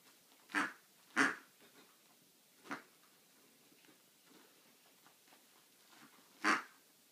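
An Australian Labradoodle gives a few short, hoarse, quacking barks spaced apart in a quiet room.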